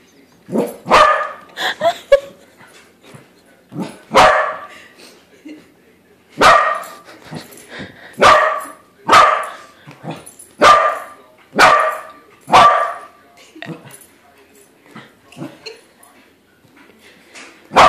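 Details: A pet corgi meets a corgi-shaped balloon and finds the balloon dog isn't real. It gives a long run of sharp, loud barks, about ten over eighteen seconds, spaced irregularly, with brief soft sounds between them.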